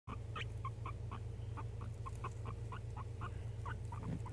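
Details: Pet guinea pig named Chuck Norris, enjoying bedtime cuddles indoors and rolling under a hand for attention, makes soft, short chuttering pulses about four times a second over a steady low hum.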